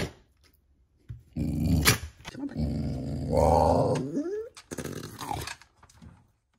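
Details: Beau the dog makes his "let's get going" growl, a Chewbacca-like sound indoors: a long rough low rumbling vocalisation with a rising warble near the end, followed by laughter from people in the room.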